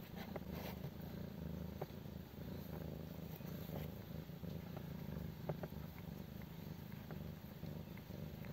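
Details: Mii-chan, a stray mother cat nursing five kittens twelve days after birth in a doghouse. A continuous low, even purring rumble runs throughout, with faint scattered clicks and light rustling above it.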